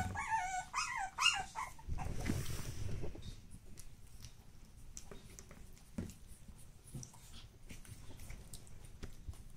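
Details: Pug puppy brothers born 10 August 2015 give a quick run of high, wavering whimpers and yips, then soft rustling; Pug.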